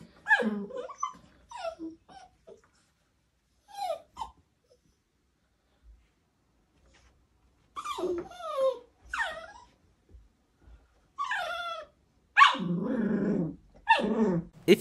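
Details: Dog confused by its owner disguised as another dog gives a run of thin, falling whimpers and yelps with pauses between them, then rougher, breathy whining toward the end.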